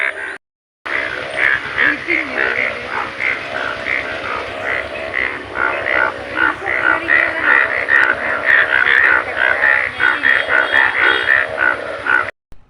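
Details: Large yellow frogs, thousands of them appearing one morning after rain on a plot in front of a house at Elookkara; a dense, continuous chorus of overlapping, rapidly repeated croaks, with many callers at once.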